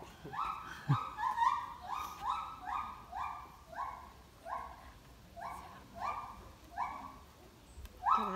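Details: At Thrigby Hall zoo in 2019, Siamang gibbons give a loud vocal display of barking hoots repeated about twice a second, one gibbon at the top of a tree.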